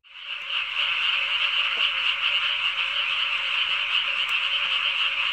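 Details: Loud frog chorus beside a harrowed rice paddy in summer, the kind said to keep people awake at night. A dense, unbroken rasping trill fills the air steadily, with no pauses between callers.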